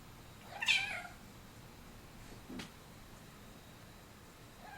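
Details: An F5 Savannah cat gives a brief, high chirping meow while trying to find a bug, followed by a soft tap in a quiet room.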